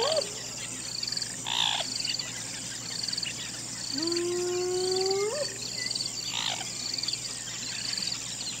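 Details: Single hyena whoop: a low tonal note that swells and climbs steeply near its end, with stacked overtones. Brief bursts of insect or bird chirps and a steady high insect hum surround it.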